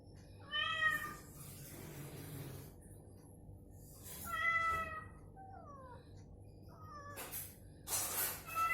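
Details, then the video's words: Cats meowing back and forth, deliberately provoked with the same cat sound during recovery so they move and call; harmonic meows rising then falling, several in quick exchange, with gliding descending calls between them and a burst of noise near the end. "SUARA KUCING saling sahutan"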